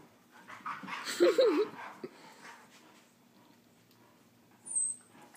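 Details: Husky pup while wrestling gives a short wavering whine, rising and falling twice in about half a second, amid rustling play noises, with a faint high squeak near the end.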